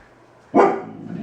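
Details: Kai, a four-month-old Alaskan Malamute puppy, reacts indoors to a balloon he fears while being coaxed with treats. He gives a single sharp, short bark, followed by quiet room tone.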